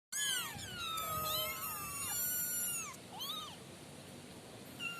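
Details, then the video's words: Five kitten siblings, not yet named, mewing in high, thin overlapping cries with bending rising and falling pitch, several voices calling at once, then sparser single mews; faint background hiss. "suara kucing 5 bersaudara"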